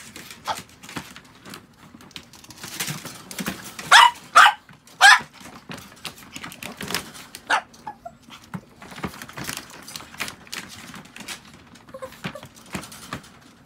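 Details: Pet Chihuahua being looked after at home: three sharp, high-pitched yelping barks near mid-recording, the first two close together and the third about a second later, amid soft household clicks and rustling.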